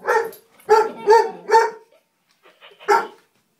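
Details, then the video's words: A 12-month-old Hungarian Vizsla named Ronin barks at the dog Biscuit on their first meeting, four sharp harmonic barks in quick succession, a brief pause, then one more bark. "Hungarian Vizsla meets Biscuit the dog!"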